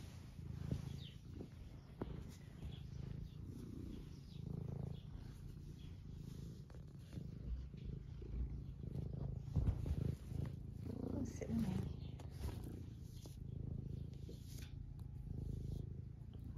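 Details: Eric, an 11-year-old semi long-haired domestic tabby cat in the UK, purrs while being stroked and seeking attention; a steady low rumbling purr with soft rustling and occasional clicks over it.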